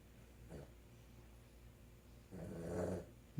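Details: A Boston Terrier snores through the night with a short rasp followed by a longer, rumbling breath.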